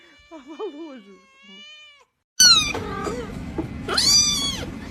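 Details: Kittens meowing: high, arched mewing cries with bright harmonics, several in quick succession after a brief lower warbling sound and a gap, over a steady low hum.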